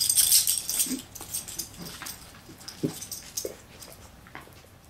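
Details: Two Dachshunds play-wrestle, a male almost two years old and a recently adopted female, on 5 January 2013. They give short, low grunts and growls amid scuffling and rustling noise.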